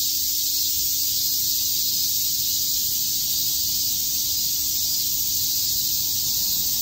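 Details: Cicadas chirping on a summer day in Shakujii Park, Tokyo: a dense, unbroken high-pitched hiss holding steady throughout, with no pauses or rhythm, and a faint low hum underneath.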